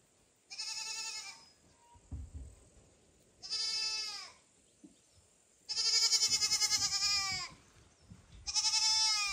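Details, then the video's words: Mother cat Kira is summoned by loud kitten calls, foster kitten Ginny and kitten Leo nearby: four strong, bleating cries growing louder and longer, roughly every two to three seconds, with faint knocks between them. "Mom cat doesn't understand who is calling her so loudly"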